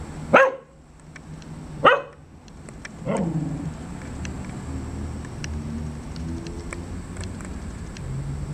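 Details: A dog gives two loud, abrupt barks about a second and a half apart. A third, softer bark trails into a low, wavering whine, then quiet background noise follows.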